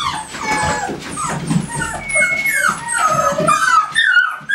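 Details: A group of American Staffordshire Terriers at GaidJewel's kennel gives thin, rising and falling whimpers and short yips. The voices overlap and one held whistle-like tone briefly stands out.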